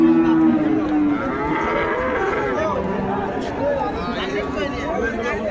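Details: Heifer at a cattle market in Joypurhat, Bangladesh, giving a steady, low, droning moo for about a second, then a busy crowd of chattering men and market bustle fills the rest.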